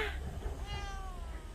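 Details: Hayang, a white cat called a dog-like cat, meowing while playing with a bored person who took it in after it was lost: a short, faint, drawn-out meow that slides downward, over a low indoor rumble.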